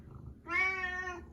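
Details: Pet cat Karu-chan, tagging along behind its owner, lets out a single bright, rich meow lasting under a second, rising a little then levelling off. A faint hum underlies it as the owner says sorry.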